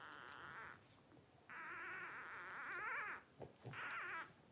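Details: Twelve-day-old blenheim Cavalier King Charles Spaniel puppies from a litter of five, born to Paris and Spike at New Year's 2023. Wavering, high whines with rich harmonics come in three bursts, a long middle cry between shorter ones, with soft thumps in the gaps.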